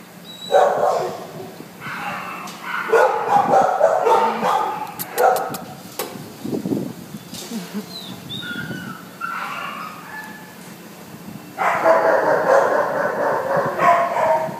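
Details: Brown brindle Mastiff mix at the Devore animal shelter; bursts of harsh, rapid barking, about four barks a second, separated by quieter pauses, with people talking and kennel clatter in the background.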